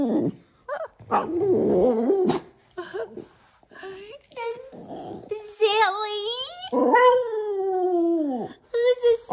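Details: Boston Terrier howling to ask for belly rubs; a person talks over the first seconds, then the dog gives long wavering howls that rise, waver and slide downward, with short yelping breaks between them.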